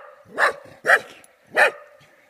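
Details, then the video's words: A Golden Cocker Spaniel, frightened by cardboard cutouts in Dalby Forest, Yorkshire, gives three sharp, mid-pitched barks about half a second apart. "Golden Cocker Spaniel Dog barks at cardboard cutout Dalby forest"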